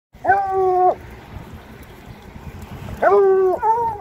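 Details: Bluetick Coonhounds baying on an ordinary walk through town: two long, level harmonic howls, each near a second and bending down at the end, separated by a quiet gap with faint street background.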